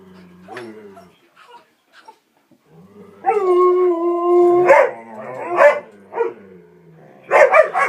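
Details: Three pet dogs playing and vocalizing excitedly indoors shortly before a walk: a long steady harmonic howl-like moan, then sharp barks and a burst of yips near the end, with a woman's voice briefly.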